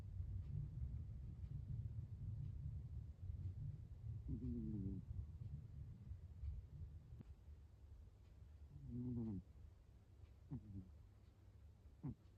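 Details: Fuku, a rescued cat, snores faintly; short wavering, buzzy bursts appear at irregular intervals of a few seconds over a constant low hum.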